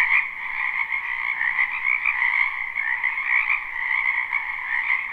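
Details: Many frogs croaking together in a spring wetland behind a house, live and unlooped: a dense, unbroken chorus of rapid, trilling croaks layered at a mid and a higher pitch, pulsing slightly in loudness, with no other clear sounds.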